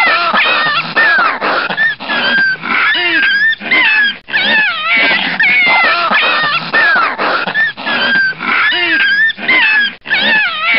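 Two foxes clash with rasping, wavering screeches and rapid chattering cries, barely pausing between bursts. The harsh, strained calls rise and fall in pitch as the aggressive exchange runs on.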